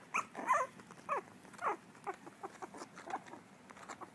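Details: Dachshund puppies trying to learn to bark: a run of short, high, yappy barks in the first two seconds, then softer squeaky yips repeating about every half second, indoors.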